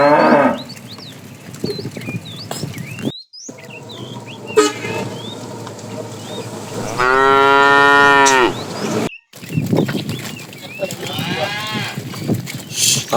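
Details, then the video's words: In a morning herd of cows roaming for food, a calf gives one clear, sustained moo around the eighth second, followed by a fainter, wavering moo; birdsong, rustling and handling noises fill the rest. "Cute sounds of calves"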